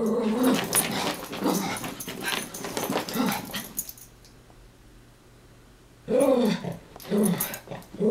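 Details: Two Chihuahuas, Taco and Santi, chasing each other and wrestling indoors in play; rough growly vocal bursts for the first four seconds, near-quiet room, then more short harmonic growls and yips near the end.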